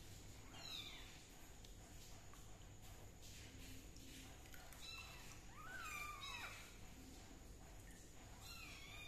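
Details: Kitten under treatment for a fungal skin problem with leaf juice, giving a few thin meows over steady background hiss; the clearest comes near the six-second mark, a high wavering cry that drops in pitch at the end.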